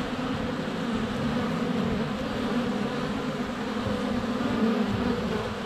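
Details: Honey bees in flight at a hive entrance on a sunny February day, filmed close with a GoPro Hero 7 Black; a steady, dense droning hum of many wings with shifting pitch, continuous throughout.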